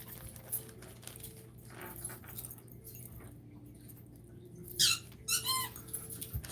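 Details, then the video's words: Pet puppy squeaking in the background indoors: two short, high-pitched squeals near the end, one rising and one falling, over a steady low electrical hum and quiet room noise. "so sorry if you're hearing the squeaking noise that's my puppy"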